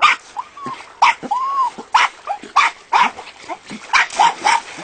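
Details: Jack Russell terriers at the Castell'Anselmo kennel give sharp, bright barks roughly once a second, mixed with a couple of arching whined yelps that rise and fall in pitch.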